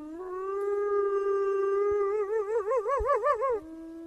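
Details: Wolf howling: a long steady mid-pitched tone with rich harmonics that breaks into a rapid wavering, vibrato-like warble before dropping to a lower, softer held note; a few faint clicks underneath.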